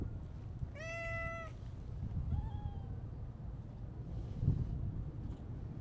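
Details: Siamese mix cat makes one clear, level meow, then a softer, shorter, falling one, against a low background hum.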